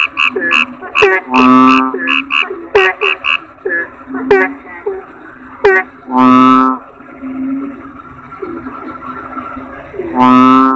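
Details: Kodok bangkong toad chorus: rapid chirps and clicks open the stretch, then long nasal croaks at intervals. Steady, lower bubbling notes run underneath.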